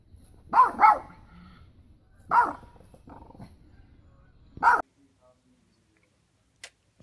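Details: Pekingese giving a few sharp barks, first a quick double, then two single barks about two seconds apart, followed by near silence.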